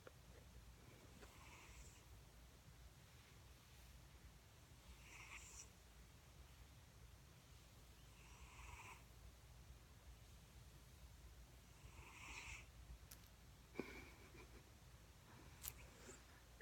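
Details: A pet cat named Shadow snores indoors, each breath a soft, airy hiss repeating roughly every one and a half to two seconds, with a couple of sharp clicks near the end.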